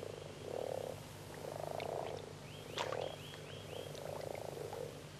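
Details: Male common frogs at the peak of mating season, gathered in shallow, plant-filled water near the shore, join in soft, low growling purrs in repeated bursts, made with an internal vocal sac; the call helps partners find each other.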